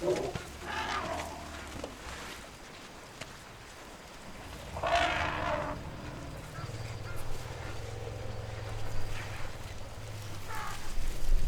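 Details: A struggling baby elephant, helped by its mother, gives harsh, blaring screams and trumpets over a low rumbling background.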